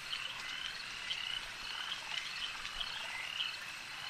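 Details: Crowded frog calling at a lake: high rattling croaks stacked into a constant chorus, with distinct short chirps recurring about every half second.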